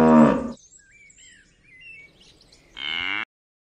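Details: A cow gives a short, deep moo cut off after half a second; faint bird chirps follow, then a brief, louder, higher-pitched cry.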